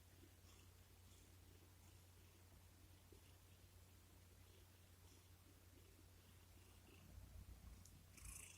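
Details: Pet cat snuggling up on its owner's lap and purring while seeking affection indoors; a quiet, steady low rumble pulsing about four times a second throughout, with a brief higher scratchy rustle near the end.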